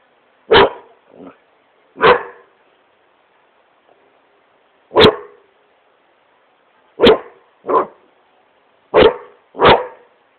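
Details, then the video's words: Indoors on his couch, the Great Pyrenees Smokey barks while playing, sharp loud woofs coming singly or in quick pairs over about ten seconds, with short softer yips after some. "Great Pyrenees smokey barking at couch"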